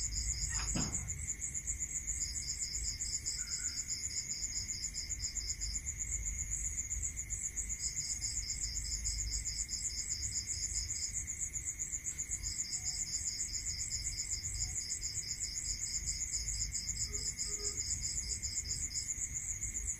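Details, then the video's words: At night in rural countryside, crickets keep up a constant high pulsed trill while a lower one sings in long bursts separated by short gaps. A single sharp knock sounds near the start, over a steady faint tone and low rumble. "Listening to Cricket Sound"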